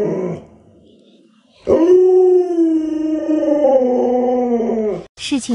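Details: Pet Alaskan Malamute indoors with a small child, holding a long steady howl of about three and a half seconds with rich harmonics and a slight wavering, after soft speech and before a sharp noise.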